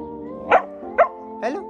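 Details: Golden Retriever giving three short, sharp barks about half a second apart, each a brief burst, over steady background music, with speech following.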